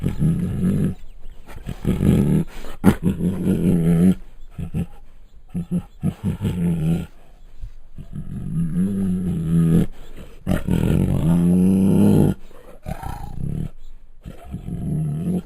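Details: Bengal tiger at Luján Zoo growling and roaring in a long sequence of rough, low, harmonic bursts of uneven length, separated by brief silences, with one louder drawn-out roar near the end and a steady faint high hiss.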